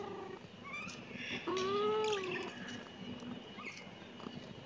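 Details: A kitten gives a single clear, slightly arched meow lasting about a second, with a softer high note just before it and quiet background hiss.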